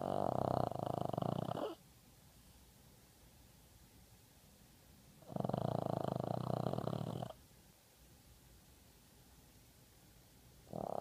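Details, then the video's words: A female Boston terrier from Seattle snores in loud, rasping breaths lasting about two seconds, separated by quiet pauses. "Boston terrier snoring"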